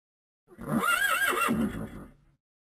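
A horse gives a single loud, quavering neigh lasting under two seconds, wavering in pitch before trailing off into silence.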